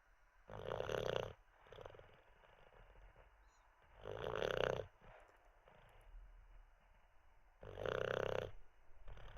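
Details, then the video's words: Teddy the Olde English Bulldogge dozing after treats and a wee, giving three loud, grating snores spaced about three and a half seconds apart, each trailing into faint wheezy breaths. "Six minutes of a snoring olde English bulldog"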